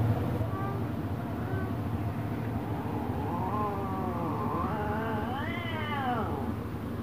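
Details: Domestic cats, an orange one angry at a black one: after a quiet stretch, a drawn-out wavering yowl swells and rises steeply near the end, then falls away, over a steady low rumble of background noise.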